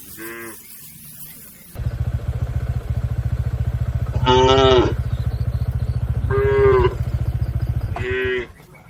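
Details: Herded cattle crossing a river to their pen moo four times, loud nasal lows rising over the steady throbbing rumble of a nearby engine running through most of the recording.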